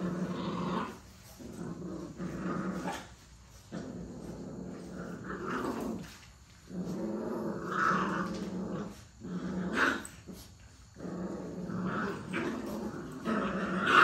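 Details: Puppies play-fighting produce rumbling growls in bursts of one to three seconds, separated by short pauses, with occasional yips.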